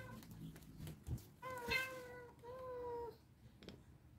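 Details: Domestic cats indoors waiting for their breakfast and squabbling: two drawn-out, level meows with bright harmonics, one after another, faint low household rumble and a brief thump before them.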